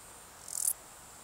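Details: A male Stal's Saddle Bush-cricket (Lluciapomaresius stalii) gives its calling song, a single brief, high, hissing chirp of rapid pulses, recorded 13 July 2019 in the Sierra de Guadarrama.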